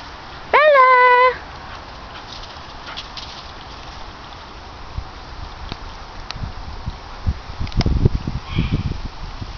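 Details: Bella, a 10-month-old Airedale Terrier, gives one loud tonal whine that rises sharply then holds steady for under a second; afterwards only quiet outdoor background with scattered clicks and rustling footsteps toward the end.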